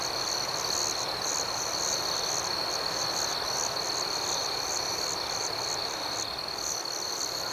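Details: A gentle nighttime outdoor cricket chorus, with a constant high trill and soft chirps pulsing about twice a second, evenly paced from start to finish.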